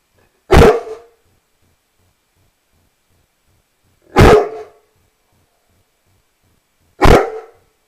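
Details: Rhodesian Ridgeback dog giving three single deep, rough barks spaced about three to four seconds apart, with silence between them in a quiet indoor setting.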